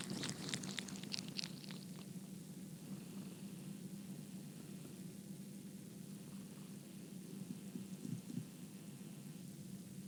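A domestic cat purrs in a continuous low, throbbing rumble that holds steady throughout. A few brief scratchy rustles come through at the start before the purring carries on alone.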